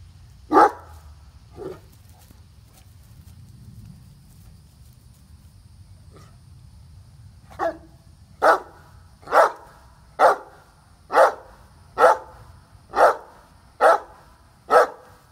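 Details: Katie, a seven-year-old Great Dane, barks while chasing a squirrel that teases her from up in a tree; two early barks, a pause, then a steady run of deep single barks about once a second.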